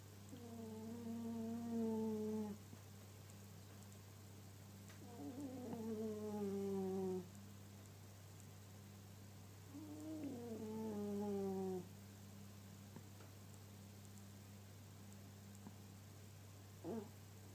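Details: Snoring house cat, three drawn-out whistly breaths of about two seconds each, every five seconds or so, each sliding gently downward in pitch; a constant low hum underneath and a brief faint click near the end.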